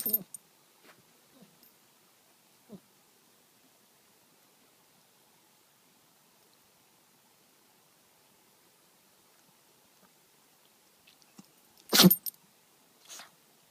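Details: Chihuahua sneezing indoors: a quiet stretch with a few faint sniffs and snorts, then one sharp, explosive sneeze burst near the twelfth second, followed by a smaller second puff a second later.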